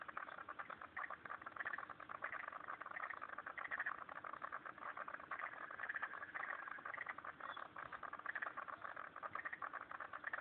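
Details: Many frogs chorus together at a pond in Turner, ACT, producing a continuous mass of fast overlapping clicks and short rattles at an even level throughout.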